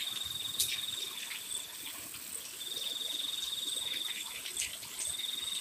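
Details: Crickets chirping on a quiet night in the rain: a high, metallic trill in bursts of one to two seconds, with a fainter overtone above, over a constant hiss of rainfall.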